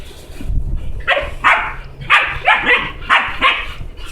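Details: A playful puppy that wants to play, a stray that followed its owner into the house, gives about seven sharp, high yips and barks in uneven bursts over four seconds. A low background rumble runs underneath.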